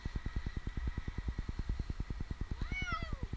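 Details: Stranded in a tree in Newark, Ohio for two nights, 8-month-old kitten Jinx lets out a single drawn-out, downward-sliding meow near the end, against a constant pulsing engine rumble during the rescue.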